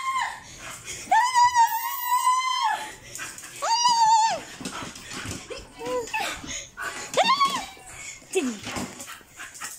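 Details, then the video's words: Bull Terrier playing with a visitor gives high, drawn-out whines, one held for over a second, then shorter arching whimpers. Human voices talk quietly in the background. "Bull terrier playing with human(visitor)"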